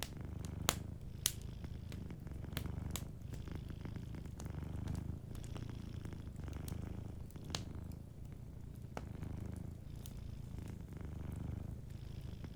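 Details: Sleeping domestic cat purring softly indoors by a warm fireplace: a steady low rumbling purr in rhythmic waves throughout, with sharp wood crackles and pops from the fire scattered over it.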